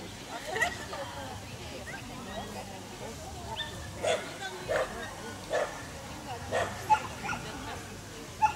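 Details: Dachshund with a rabbit, letting out a loose series of fairly soft barks and yips at uneven intervals, growing more frequent in the second half, against a faint noisy background.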